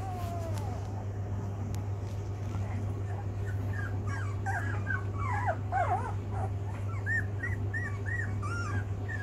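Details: Rhodesian Ridgeback pups, 16 days old, learning to walk: a run of high, wavering whimpers and squeaks, some rising and falling, several in quick succession, over a steady low hum.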